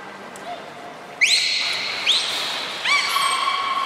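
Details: Beluga at Nagoya Port Aquarium during a training session with Nico and Mirai, 29 February 2020: three bright whistles, each sweeping up then held level with stacked harmonics, the last and longest ringing on to the end over a low hiss.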